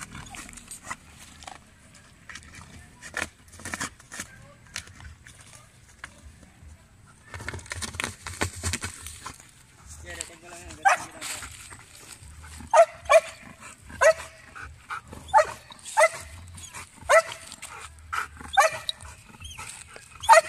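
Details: Belgian Malinois in urban search and rescue training on rubble, giving aggressive indications: sharp barks repeat about once a second through the second half, with scattered clatter and thumps before them.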